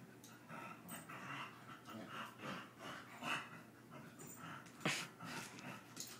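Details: Two brother dogs play-fighting: breathy panting mixed with short, rough growls in irregular bursts, and a sharp yelp or whimper near the five-second mark.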